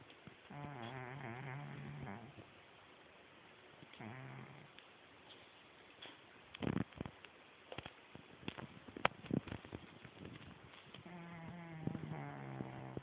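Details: Pet cat snoring loudly in its sleep: low droning breaths with a buzzing, layered tone at the start, again briefly near four seconds and at the end, with scattered clicks and soft thumps in between.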